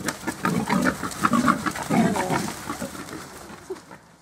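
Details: Wild boar in a forest during the autumn rut give low, rasping grunts in irregular bursts, some breathy and snorting, others more guttural, fading away toward the end.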